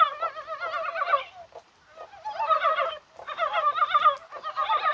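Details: Rain-time chorus of mountain frogs on a spring-like January day, perhaps during spawning. Thick, wavering croaks overlap in bouts of about a second, with brief dips between them.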